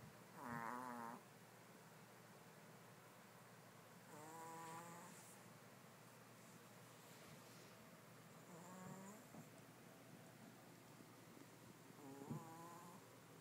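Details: Chanel the Pomeranian is fast asleep among three dogs sharing a bed. Four whistling snores start loud, then grow softer and shorter, with a few faint shuffling clicks between breaths.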